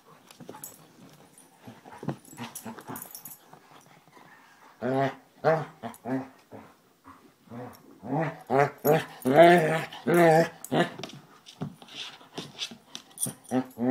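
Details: Two Basset Hounds, Tracker and the new puppy Ranger, rough housing in play: after a quieter start, a run of short, deep, harmonic barks and gruff yelps comes in uneven bursts, several per second at times, with growly edges.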